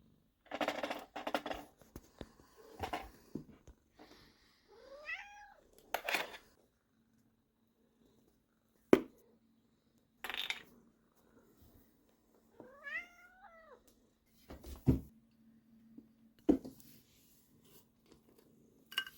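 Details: Quing, a Sacred Birman cat, meowing to beg for food because the snack bowls are empty; rising-falling wavering meows repeat alongside sharp clicks and thuds, with quiet gaps between bursts in an indoor room.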